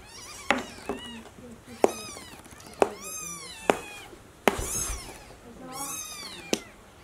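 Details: Newborn kitten being carried to the nest by its mother cat, giving high, thin, arching mews about once a second, each rising then falling, with sharp clicks and knocks between them.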